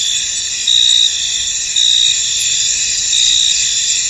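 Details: Field crickets calling in mist: a continuous thin, high ringing chorus broken by three louder chirp bursts, each lasting under half a second, in a short stretch.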